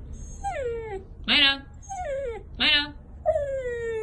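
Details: Siberian Husky "singing": long falling whine-howls alternate with brief louder yelping wails, about five vocal phrases in four seconds, each sliding downward in pitch.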